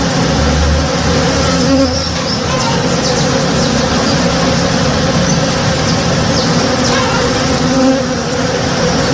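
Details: Honey bees busy in a blooming tree behind a house at morning time: a thick, continuous buzz of numerous insects, softly swelling, plus occasional faint bird chirps.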